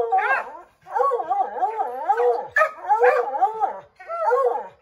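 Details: Redbone Coonhounds, a pack of five named Bo, Luke, Lulu, Cooter and Jesse, treeing a chipmunk in an oak tree; long wavering bay-howls overlap in a continuous chorus, with brief gaps between drawn-out, tonal, bending cries.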